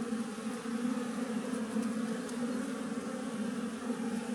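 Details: Wild colony of western honey bees nesting in a tree, a steady low buzzing hum of many bees with harmonic layers, continuous and even throughout.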